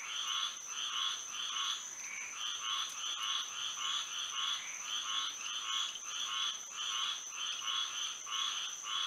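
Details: Night in Florida with frogs singing by moonlight. Repeated nasal, pulsing croaks come roughly every half second, sometimes doubled and overlapping, with a thin, unbroken high tone beneath.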